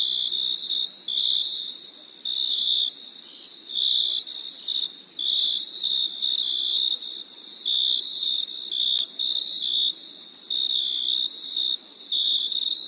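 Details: Crickets give shrill, high trilling chirps in regular bursts of roughly a second with short pauses, fainter overlapping trills behind, on a summer night.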